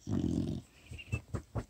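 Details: Four-month-old female retriever puppy asleep and snoring, recorded on a phone: one low, rumbling snore, then a few soft, short breathy puffs.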